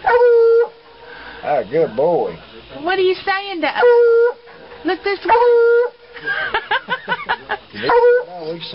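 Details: Dog vocalising in a funny compilation of dog noises and barks: drawn-out steady howl-like tones alternating with wavering, yodelling whines and short yelps. The howls repeat roughly every one to two seconds, and there seems to be speech alongside.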